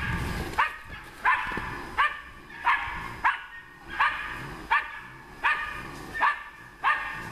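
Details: Female hunting dog working on wild boar barks steadily, sharp single barks repeated roughly every three-quarters of a second, outdoors with faint low background rumble.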